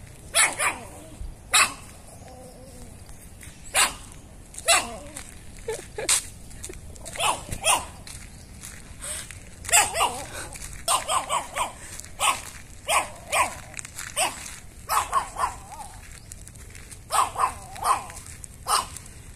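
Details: A long run of shrill Chihuahua barking from a compilation of angry, happy and crying Chihuahuas: dozens of short, piercing yaps, scattered at first, then dense, rapid volleys with brief pauses between them.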